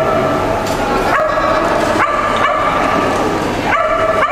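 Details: Sable merle and blue merle Shetland Sheepdogs competing at the 2012 Americas and Caribbean Agility Championship; high, ringing barks in a steady stream, sharp attacks around 1.2, 2.0, 2.4 and 3.8 seconds, with constant arena background noise.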